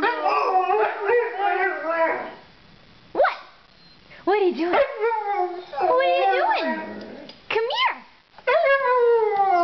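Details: Snow dog puppies howl in bursts, wavering yowls and short yelps separated by quiet gaps, several voices overlapping in a rough chorus.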